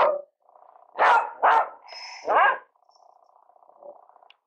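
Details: Two Beagles baying and howling together in a few loud, harsh bursts over a steady low drone.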